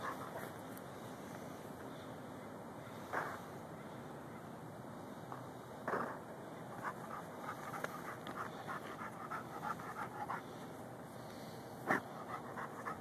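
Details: Lou, a Rhodesian Ridgeback and Bull Mastiff mix, pants continuously while digging after a pocket gopher; several loud digging thumps and scrapes interrupt the steady breathing, filmed on a Samsung Galaxy S3.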